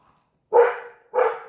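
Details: Dog barking at nothing around noon, after already being out four or five times that morning; two short, rough, mid-pitched barks about half a second apart, the second slightly softer, in an otherwise quiet room.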